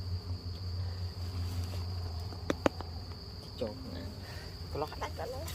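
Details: Low, continuous humming of honey bees around a hive taken in the forest, the drone broken by a couple of sharp clicks midway and short bursts of human voices toward the end.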